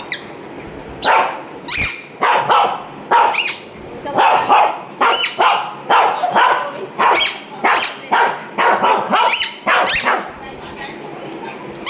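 A Shih Tzu gives a steady run of sharp, high barks, each under a second, nearly twice a second.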